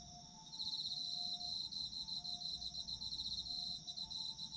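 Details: Sleep-oriented autumn insect chorus. It starts faint, then swells into bright, high pulsed chirps pulsing several times a second. Gentle low steady tones come and go beneath the chorus.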